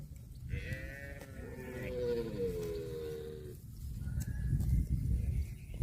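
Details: Cow with a long, drawn-out moo lasting about three seconds: a steady, harmonic-rich tone that slowly falls in pitch, set against a low rumbling background and a brief higher tone afterward.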